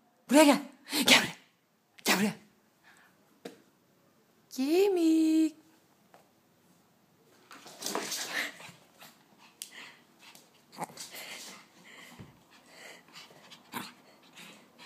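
A small dog, a Pekingese, lets out a quick series of high, sharp barks followed by a longer rising, whining yelp. Human voices and indoor chatter fill the rest of the recording.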